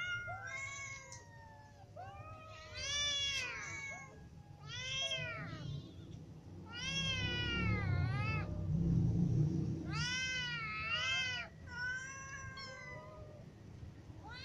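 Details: Several hungry cats, ginger cat with kittens and adult cats, meowing in a rapid overlapping series of arched, harmonic-rich meows, some rising then falling, with a low rumbling background noise in the middle stretch.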